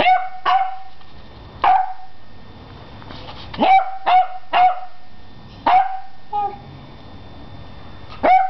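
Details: Beagle puppy, 11 weeks old, barking at a broom indoors: short sharp high yips and barks in irregular bursts, about eight across the stretch, separated by brief quiet gaps with faint room noise.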